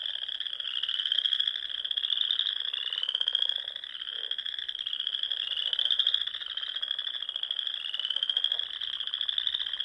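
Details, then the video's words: Spring frogs singing from ponds among the Sandhills dunes of Nebraska at dusk; overlapping high-pitched trills form an unbroken wall of sound, with rising sweeps recurring every two seconds and faint lower clicks beneath. "RELAXING SOUNDS OF FROGS"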